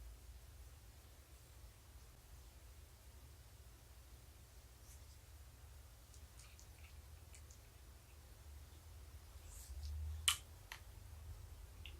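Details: A quiet indoor room holds a low hum and a few soft clicks and taps, with one brief louder knock near the end.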